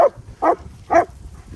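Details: Nico and Zeeva, a pair of German Shepherds out in the Scottish Borders sunshine around Hawick, give three clipped, punchy barks spaced roughly half a second apart over quiet low outdoor background noise.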